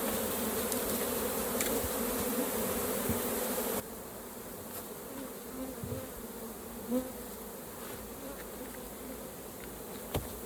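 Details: Honey bees humming around a hive during a honey harvest, a continuous droning buzz that drops in loudness partway through, with scattered soft clicks.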